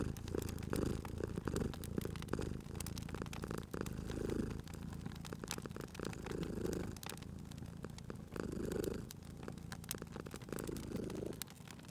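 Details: Purring house cat by a fire in a cozy spring ambience; a soft low rumble pulses in long, evenly spaced waves about every two seconds while wood crackles and pops lightly in the background.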